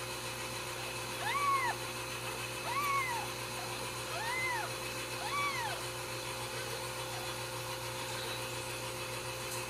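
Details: Ragdoll kittens raised uncaged in a home cattery in central Kansas, giving four clear arched meows, each rising then falling, spaced about one and a half seconds apart over a steady low mechanical hum.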